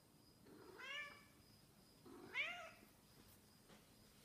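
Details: Snowshoe cat meowing because it misses its owner: two drawn-out meows about a second and a half apart, each rising then falling, the second one louder, indoors in a quiet room.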